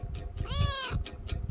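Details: Kitten talking while being petted; a single clear, rich meow rising then falling, about half a second long, over a steady low rumble and soft rhythmic background noise.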